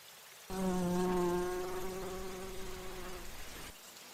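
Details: Bumblebee flying among flowers to feed on nectar, giving a loud, low droning buzz that starts abruptly, holds steady for about three seconds, then fades.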